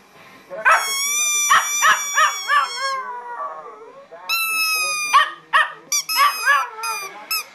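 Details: Bean, a pet chihuahua who recently learned to howl and does so only at one particular squeaky toy, gives short wavering yodel-like howls that alternate with bright, sharp squeaks from the toy.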